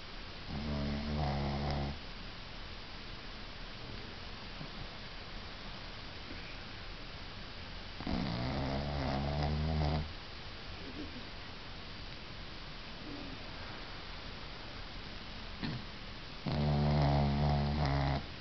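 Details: Sleeping pug dog snoring: loud rattling, buzzy snore bursts lasting about two seconds, recurring roughly every seven to eight seconds, with quieter breathing between them in a still indoor setting.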